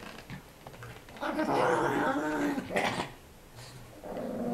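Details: Play fight between a tiny 5 lb Chihuahua and a 25 lb Pitbull puppy. Two dense stretches of harmonic growling and grumbling, with a short pause between them and quiet speech in the background.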